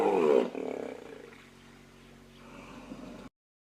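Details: Aggressive hippopotamus in Kruger National Park: a loud harsh honking bellow at the start, fading into low droning rumble and breathy grunts before ending abruptly.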